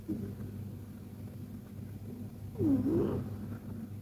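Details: KTO, a sleeping Persian cat in a deep, cozy nap, gives a continuous low, rumbling snore, with a brief louder nasal squeak that dips and rises near the end.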